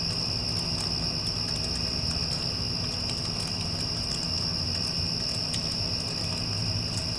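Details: Cricket chorus following a passing storm: one sustained high-pitched trill, unvarying, set against a heavy low rumble from an air conditioner and occasional soft ticks.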